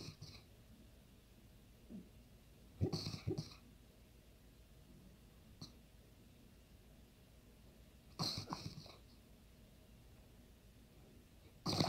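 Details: Kenobi, an Ibizan Hound, snores loudly while sleeping indoors: short rasping, breathy bursts come every few seconds, with three strong ones and a few fainter snorts between quiet stretches.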